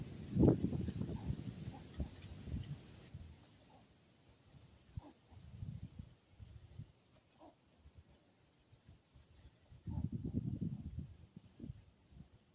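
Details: Fox squirrel in Iowa during early muzzleloader season gives low, husky chucks and grunts in irregular bursts, alarmed by a person up in the same tree.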